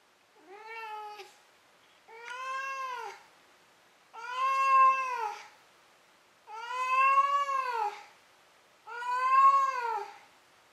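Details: Maru, a domestic cat, meowing before falling asleep: five drawn-out, arched, harmonic-rich meows spaced about two seconds apart, each rising then falling in pitch, the later ones louder and longer, against a quiet indoor background.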